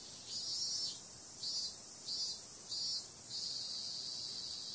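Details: Cicadas calling on a summer night: a dense, high, hissing buzz that runs without a break, with louder swelling surges about every 0.7 seconds, five in all, over a faint low background rumble.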